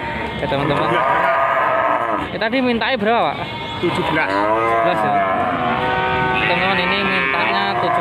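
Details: Cattle for sale at the Wage livestock market in Panggul, Trenggalek, Indonesia: a drawn-out lowing call swelling and dipping in pitch midway, overlapped by men talking and haggling over prices in the busy market.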